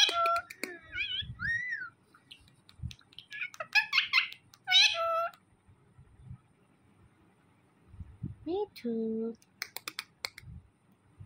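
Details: Male pet cat Mithu, said to get mad on seeing a phone, gives a couple of strained, harmonic meows mid-clip, mixed with arched whistled notes, low buzzy tones and a voice repeating "me too" indoors.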